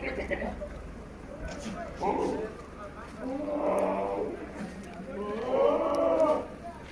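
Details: Sirohi goat on a farm at Pushkar, Rajasthan, where a big male is kept: three hoarse, rising-and-falling bleats roughly a second apart grow louder toward the end, with faint rustling and background noise between them.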